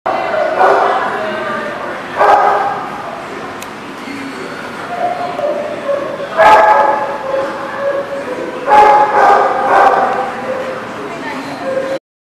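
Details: Dog barking in short, sharp bursts about two, six and a half, and nine seconds in, over ongoing voices and background chatter.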